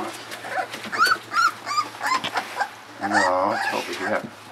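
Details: Puppies about 3.7 weeks old whine during evening feeding, short curved squeaky whimpers over a man speaking, then a longer wavering cry near the end.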